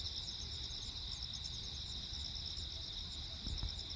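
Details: Night chorus of crickets, Jeju Island, 15 August 2024, amid constant lightning: shrill, rapidly pulsed chirps layered into a steady high trill, soft low rumble below and a couple of faint dull knocks near the end.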